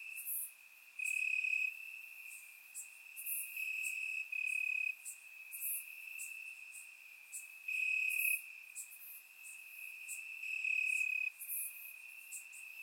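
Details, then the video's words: Warm summer night in Bulgaria with crickets chirping in the grass: a sustained high trill pulsing in loud and soft stretches over the whole span, with many short, very high chirps scattered on top. "Cricket Sounds - Crickets Chirping at Night"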